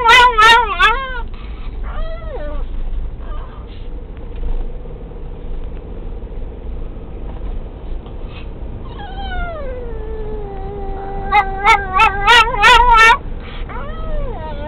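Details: Pixie, a pet dog, singing with excitement once a VW Beetle gets going: long drawn, sliding whines, a quiet lull, then a rising wail and a burst of rapid gobbling yips around the end, car rumble throughout.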